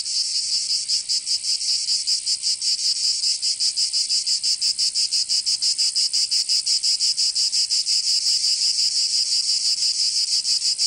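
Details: Cicadas singing in summer in Provence, southern France: a dense, high, hissing buzz that throbs steadily about three times a second without pause for the whole stretch, with no other sounds.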